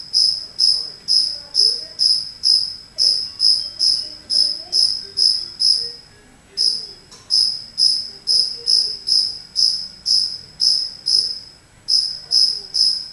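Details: Lone cricket indoors in a home, chirping from an unknown spot. Clear, shrill chirps roll out in long regular runs of roughly two per second, separated by two short pauses, over a quiet room.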